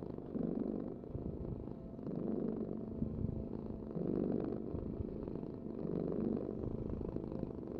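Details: Cat purr, deep and continuous, rising in loudness on every breath at about two-second intervals; four clear swells with softer purring between them.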